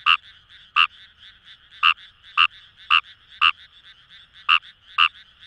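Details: Fejervarya kawamurai from paddy fields in Itoshima, Fukuoka, Japan: a series of loud, brief, rasping croaks spaced unevenly, about eight in five seconds, with quieter frogs trilling behind.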